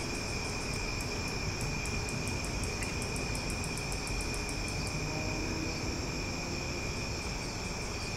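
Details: Cicadas calling loudly at night in summer in Omaha. A continuous high buzzing drone carries a fast train of sharp ticks for the first five seconds, then the drone continues alone over faint low rumble.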